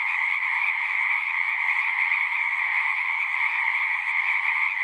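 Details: Frogs calling en masse at a horse-pasture pond, recorded on a Zoom 6; the steady massed trill stays level and uninterrupted, high and buzzing, with nothing else audible.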